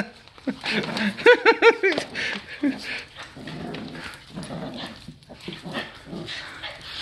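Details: Two pet dogs, one a Boston Terrier recently added to the family, playing rough at home; a burst of high whining yelps and short yips, with a person scolding 'too much' in the background.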